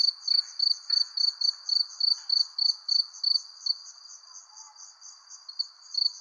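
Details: At night, a cricket gives steady, high, ringing chirps, several each second, over a faint low hum.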